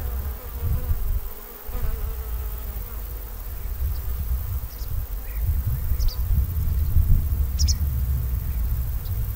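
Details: Armenian honey bees give a deep, steady droning hum with irregular surges in loudness; occasional thin high chirps are heard faintly above.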